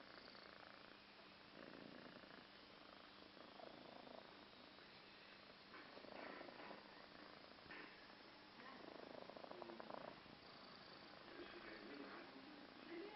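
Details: Sleeping cat snoring in a steady, raspy, continuous rumble with soft breathy swells, faint low hum in the background of a quiet room.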